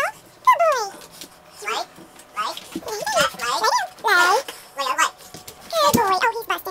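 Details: An American Bully dog indoors makes a long run of loud wavering whines and howling yowls, rising and falling in pitch, broken by short pauses.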